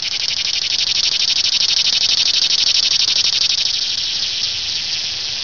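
A cicada gives a loud, continuous high buzz with a fast pulsing rhythm.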